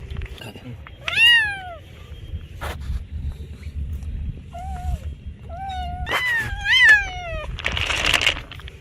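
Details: Domestic cat meowing to attract other cats: two drawn-out, falling meows, the second one wavering and longer, over a steady low rumble of background noise with a few clicks and a brief hiss near the end.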